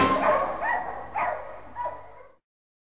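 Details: Boxer puppy giving a quick series of three or four short, high, tonal yips within about two seconds, the first loudest and the rest fading, before falling silent.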